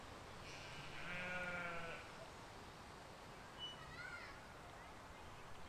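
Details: Sheep and lambs grazing in a field in spring 2020, a soft, somewhat distant bleat lasting over a second, then a brief bird call with quick rising notes amid low ambient hum.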